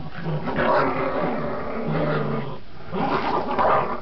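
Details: Two Border Terriers, Gracie and Marvin, playing tug; steady throaty growling that swells and dips, with a short break past two and a half seconds, then intensifies again.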